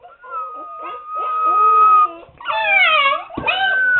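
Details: Siberian Husky puppies, seven weeks old, penned up and noisy: one steady drawn-out howl held for about two seconds, then several pups break into wavering, overlapping howls.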